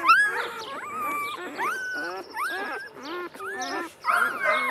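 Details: Two-day-old Golden Retriever puppies: overlapping squeaky whines, some sliding upward and others bending down, coming in short bursts with brief pauses between them.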